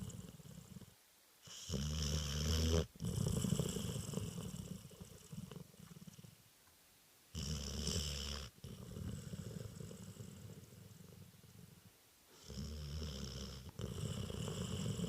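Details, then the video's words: Spaniel puppy named Stanley snoring through a nap: rough, rumbling breaths in long bursts of one to four seconds, each separated by short quiet pauses, with a hissing, raspy edge on the louder breaths. "Spaniel Puppy Snoring"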